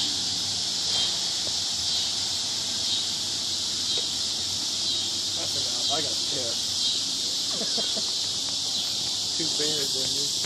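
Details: Cicadas in Basehor, Kansas, a steady dense high-pitched buzzing chorus holding without pause throughout, with faint bird notes and scattered low sounds beneath.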